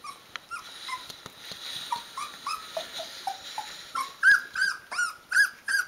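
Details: Rhodesian Ridgeback puppies, sixteen days old with eyes open, calling their mother to be fed; soft whimpers grow into louder high whines repeated about three times a second toward the end.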